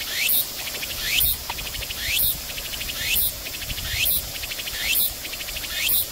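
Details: Tsukutsukuboshi cicada singing on 29 August at Jūnichōgata Suigō Park, a loud repeated phrase of a rising buzzy sweep followed by a rapid pulsed stutter, recurring roughly once per second.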